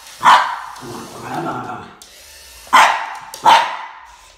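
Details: Max, a Boston Terrier, squaring off against a snake: a sharp bark, then a low rumbling growl, then two more loud barks close together near the end.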